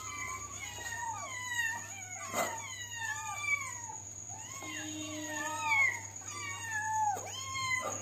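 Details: Hungry kittens asking for food, a chorus of many overlapping high mews, each bending up then down, repeated without pause, with a constant high whine in the background.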